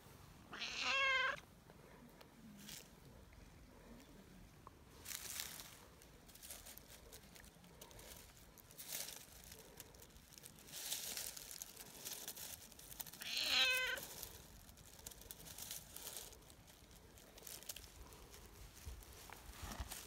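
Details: Friendly tortoiseshell community cat, petted for the first time after three years, meowing hard and kneading happily; two brief, bright meows about twelve seconds apart over soft rustling and handling noise.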